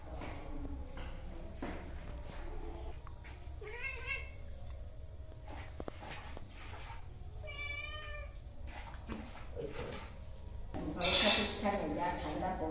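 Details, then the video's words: Hungry cats waiting to eat meow repeatedly, a rising call followed by a long strong meow, then a burst of loud clattering near the end over room noise. "Hungry cats meowing and want to eat."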